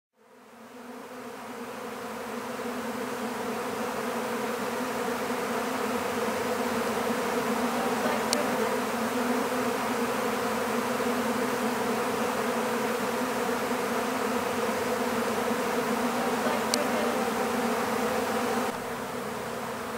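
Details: A swarm of honeybees being captured into an empty hive: a dense, continuous buzzing hum with layered drone bands, steady throughout with a couple of brief clicks.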